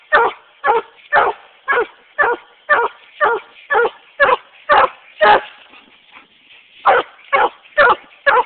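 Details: A male Treeing Walker Coonhound barks steadily with a raccoon treed, about two barks per second, hoarse and punchy, with a brief pause of roughly a second before the rhythmic barking resumes.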